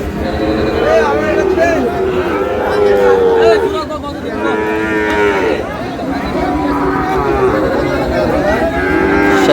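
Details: Sahiwal breed bull calves at a busy cattle market in Chittagong, Bangladesh, 1 May: several loud, sustained, wavering moos in quick succession with short pauses, over a dense background of crowd voices.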